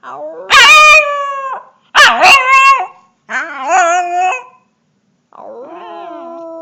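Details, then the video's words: A young dog gives loud, wavering howls broken by yelping, cracking onsets, three strong bursts followed by a softer, lower, drawn-out howl. "puppy howl"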